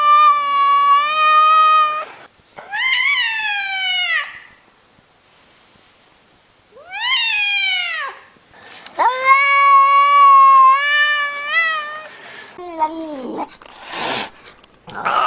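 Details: A cat meowing repeatedly over fifteen seconds: long level mews, arching calls that rise then fall, and a final lower drooping cry, with short silent pauses between.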